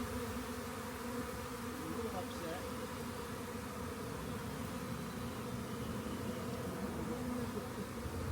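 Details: Swarm of honey bees found beside a rain gauge before being collected; a dense, steady droning hum of many wings holds unbroken for over eight seconds with no other clear sounds.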